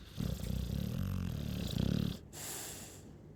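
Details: ['Low, fluttering snore from a Chow Chow, a rough vibrating rumble of about two seconds that ends with a soft airy breath out.']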